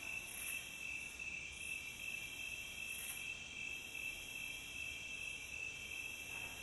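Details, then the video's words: Steady chorus of crickets, recorded as a calm nature soundscape: continuous high, shrill trilling in several layered tones, with faint pulsing bursts of a higher chirp recurring every two to three seconds, no other sounds. "Calm Cricket Sound"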